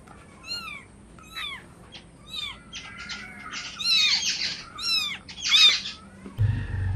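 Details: Hungry cat or kitten meowing for food: a run of high, arched mews rising then falling, roughly one per second, with a few scratchy, breathy bursts near the end and a low thump closing the sequence.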